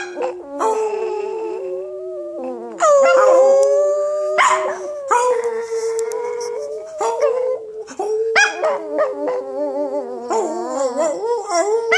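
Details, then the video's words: Chihuahua howling along while its owner sings. Sustained, wavering tones slide up and down with shifting pitch over twelve seconds, mingled with human singing. "Zingende hond / Singing dog"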